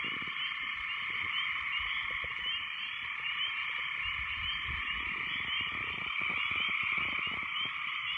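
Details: Many frogs croaking together after heavy rains, a loud, constant wall of overlapping calls in high bands with scattered faint clicks on top and some low background rumble.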